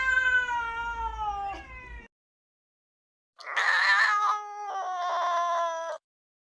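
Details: Cats fighting, presented as a sound effect: a long, steady, tonal moaning yowl, then silence, then a harsh, raspy screaming growl that settles into a wavering howl before cutting off.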